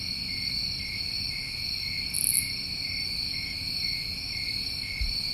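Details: Summertime crickets in New England form a steady, shrill chorus of continuous high trilling tones layered at several pitches, with a brief louder buzzy burst near the middle over a faint low rumble.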